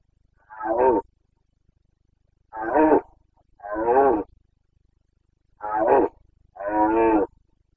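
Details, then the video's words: Carpathian red deer stag in Bucovina forest during the breeding season (boncănit), 29 September 2022: five hoarse, harmonic roars, each about half a second to a second long, in pairs separated by short silent gaps. "Boncănit / Carpathian stag Breeding season"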